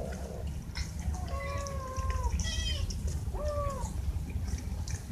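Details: Hungry pet cats asking for food, giving two clear drawn-out meows with a rising, high-pitched mewing cry between them, over a steady low hum of background noise.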